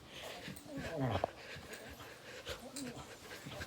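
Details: Dog playing an intense game of tug of war, groaning and growling: a low rasping growl with a falling, harmonic-rich moan near one second, amid a person's speech and handling noise.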